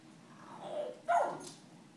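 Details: Pembroke Welsh Corgi whimpering out of fear of balloons: a soft, wavering whine, then a louder, higher whine that slides downward and fades, with a faint hiss in the background.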